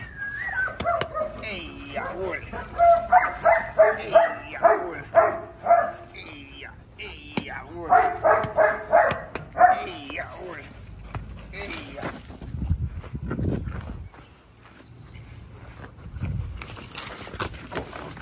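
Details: Border Collie in personal and property protection training barks in rapid bursts of about eight sharp barks, pauses, then a second burst; later a man's voice, low thuds and scattered noise follow.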